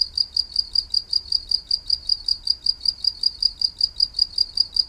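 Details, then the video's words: Green insect, in Thai maeng tao thong, producing a cricket chirp: shrill metallic pulses at a high pitch, clearly separated and evenly spaced, close to five per second, with little else audible. "แมงเต่าทองตัวสีเขียว เสียงจิ๊งหรีด"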